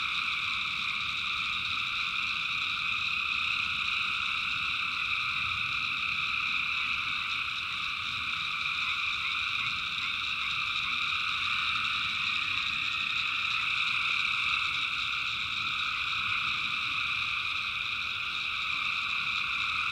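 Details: Many tree frogs call through the night in the backwoods of North Carolina, personally recorded; their shrill, pulsing chorus stays continuous and evenly loud for the whole stretch, with faint low background noise.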